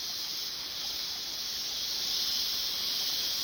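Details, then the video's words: Mountain cicadas singing together as one continuous shrill hiss-like buzz, very high and level, swelling slightly louder toward the end, with no pauses and no other clear sounds. "Sonido de las chicharras en la Montaña"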